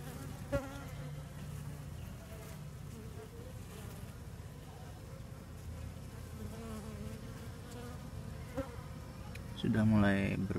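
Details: Newly separated swarm of Asian honey bees (Apis cerana) being relocated by hand; a continuous low humming drone, a few sharp knocks, and a louder tonal burst near the end.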